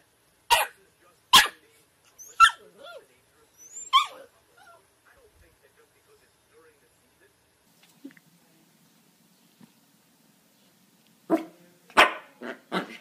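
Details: A young dog gives four sharp, snappy barks about a second apart, then a long quiet spell with faint small noises, then a fast cluster of harsh yaps at the end.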